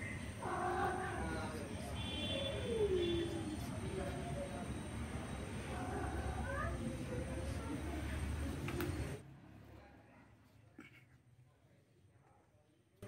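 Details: Orange male cat trying forcefully to mate with a female, giving drawn-out wavering yowls and meows with sliding, bending pitch over the first nine seconds amid background chatter and noise, then near quiet.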